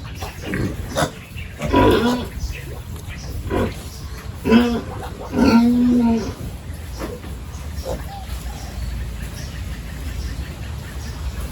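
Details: Pigs in village farm pens during the morning feed and cleanup, with several short, tonal squeals and whines in the first half, then quieter grunting and shuffling.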